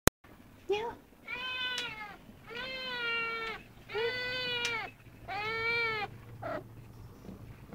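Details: Hunaja, a female second-generation Snowshoe cat aged 8-9 months, living indoors at a cattery, demands more attention right now in a voice likened to a baby alligator: five drawn-out, harmonic meows, each under a second, with brief pauses between.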